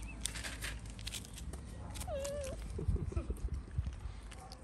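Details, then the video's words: A street cat in Morocco meowing for food: one short, wavering mid-pitched meow lasting about half a second, set against steady low rumble, followed by soft thumps and shuffling like approaching footsteps. "The cats heard a cat meowing for food, so they all came."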